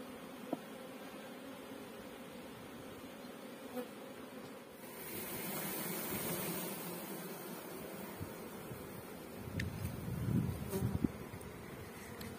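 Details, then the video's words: Honey bees at a bee farm in Pakistan, kept for beekeeping: a steady low droning hum of many bees, swelling into a broad rushing surge midway, with scattered knocks and a brief louder patch near the end. "Honey Bee Farming in Pakistan"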